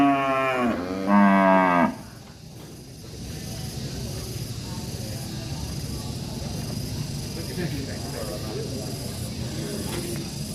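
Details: An angry cow in a village lows loudly in two strong, harmonic-rich moos in the first two seconds, the second higher and brighter. A quieter stretch of low farmyard rumble and faint noise follows.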